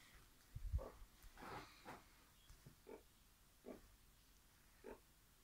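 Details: A female meerkat at Blesfontein Sanctuary, frolicking in an alpaca wool pillow, gives soft, low grunts and short nasal chirps at irregular intervals.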